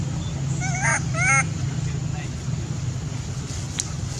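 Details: Captive baby monkey crying loudly, angry at his mother and wanting to nurse: a short pair of wavering, whining cries with strong overtones, over a steady low hum and background noise.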